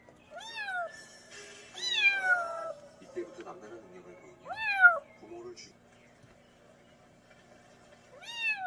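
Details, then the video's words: Kitten from a mountain village, its meows offered for scaring off country rats: four rising-falling harmonic meows spaced irregularly over the clip, with faint background noise and low murmuring between calls. "고양이 울음소리 ASMR 시골쥐 퇴치용 효과"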